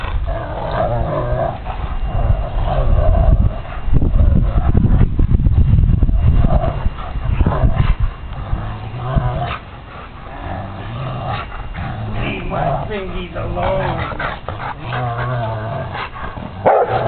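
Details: Old dog playing with its owner, growling while chewing and biting a piece of wood; sustained deep rumbling growls rising and falling in irregular bursts, with another dog barking nearby, background music and a woman speaking briefly.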